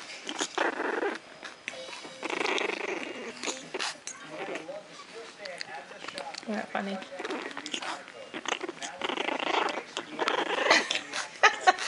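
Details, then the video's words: Three-week, two-day-old Japanese Chin puppy making funny tribble-like noises: soft grumbling, purring growls and short squeaky whimpers between bursts. A person talks to it throughout, often over the puppy's sounds. "Japanese Chin Puppy makes funny tribble sounds noises"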